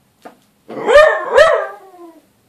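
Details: Small dog shouting at a little Bengal cat: two loud drawn-out yowling barks close together, rising then falling in pitch, ending in a trailing whine, in a quiet room.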